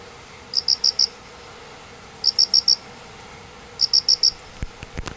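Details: Crickets, two, hidden under painted spurge after a downpour, Doi estate, Minamioguni, Japan, 29 September 2016, also singing mornings; crisp four-pulse chirps repeated regularly about every one and a half seconds over quiet background, ending with brief rustles.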